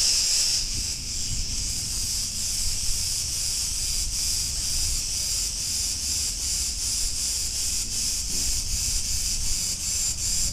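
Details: Massed cicadas on a street in Ierapetra, Crete, Greece, a bright continuous buzzing drone throbbing in regular beats about twice a second throughout.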